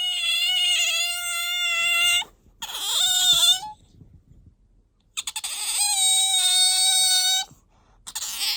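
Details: Pet otter Bingo squeaking to appeal for attention or when sleepy: two long steady whining cries of about two seconds each, separated by a brief rising squeak and a quiet gap.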